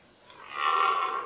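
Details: A red deer stag gives a hoarse, swelling rutting roar during a fight between two 14-point stags in the 2018 rut.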